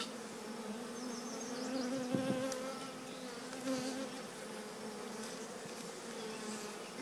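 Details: Collected swarm of honey bees walking into The Cathedral Hive during a "walk in" installation; a steady low droning hum of many wings runs throughout, with a few louder passing buzzes near two and four seconds.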